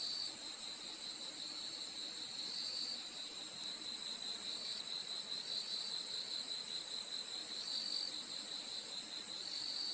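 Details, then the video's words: Crickets at night: a dense, unbroken high chorus of shrill trilling, with one steady band very high and a lower band that pulses gently in loudness. No other sounds are heard. "Crickets sound effect 30 minutes No Copyright night sound"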